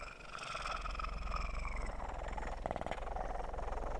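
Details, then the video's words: Kitten purring close up, an even, continuous low pulsing rumble with a soft rhythmic flutter throughout, recorded for ASMR. "ASMR kitten purr"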